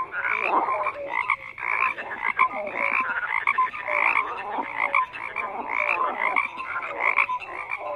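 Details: Dense chorus of many frogs croaking, overlapping rasping pulses and short tonal notes blending into a continuous mid-pitched wall of sound, with no other clear sounds.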